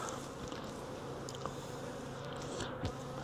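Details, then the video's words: Buzzing of a caught wild honey bee swarm during transfer to a 5-frame nuc box, an even low drone of many bees with occasional sharp clicks and a brief knock near the end. "Swarm Caught!"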